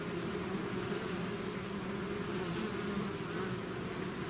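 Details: A honeybee swarm out of its hive makes a dense, steady drone, with low hum bands layered into a continuous buzz that never pauses.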